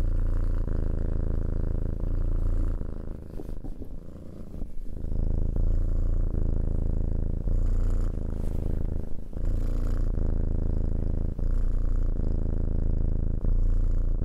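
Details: Cat purring close up, a deep steady rumble with fine rapid pulses, softening briefly mid-way then returning strong, otherwise uninterrupted.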